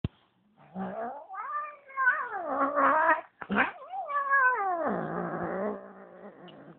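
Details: Female Bengal cat at home, angry and acting mean right after another cat was brought into her house; long wavering yowls that rise and fall in pitch, with a sharp break midway and a drawn-out, falling moan to finish.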